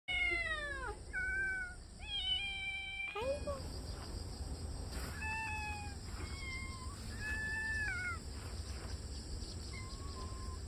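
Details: Kitten Dodo, adopted under a month ago, in a rural yard in Korea, loudly calling while warily chasing off a yellow cat from what it treats as its territory; several drawn-out harmonic meows, some falling, some flat, over a steady high hum and speech.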